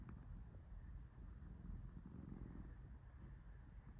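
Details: Relaxed domestic cat being petted, giving a low, steady rumbling purr with a soft pulsing texture throughout, quiet and close, with no other clear sounds.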